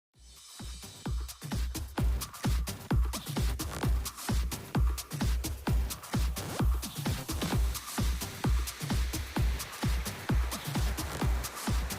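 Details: Electronic dance music with a pulsing bass beat and rhythmic percussion fills the stretch; no animal voice is heard.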